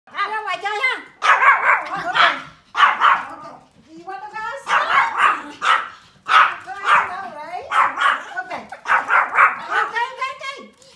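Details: Pomeranian puppies playing outdoors in snow in winter, giving high yappy barks in quick clustered bursts with short pauses between groups, several dogs barking over one another throughout.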